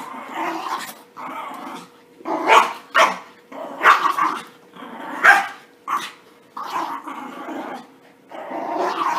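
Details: Playful puppies fresh from a bath, trading rough growls and snappy high barks about every second or two, loud rasping bursts alternating with brief pauses and a faint constant hum underneath.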